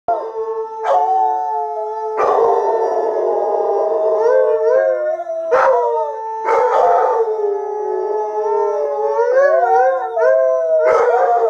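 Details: Alaskan Malamutes Sojou, Fish and Dotty howling together on seeing footage of themselves at sled dog training; overlapping sustained howls with wavering, rising and falling tones, broken by sharp yelping onsets about every two seconds.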